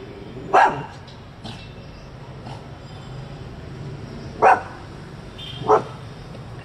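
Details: Small Coton de Tulear dog barking at passers-by while ignoring commands; one short bark at the start, then two more close together near the end, with faint talking and low background hum.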